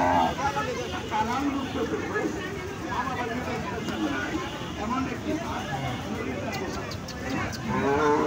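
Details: A big cow at the fairground in Dhanbari, Tangail, Bangladesh. It gives low, drawn-out lowing, half buried in a dense, steady wash of crowd hubbub and chatter.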